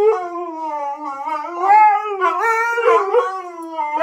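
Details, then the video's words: Siberian Husky among husky and husky-mix dogs, a continuous wavering howl lasting four seconds, sliding up and down in pitch with yodel-like breaks and a second voice joining briefly. "The Council of Husky"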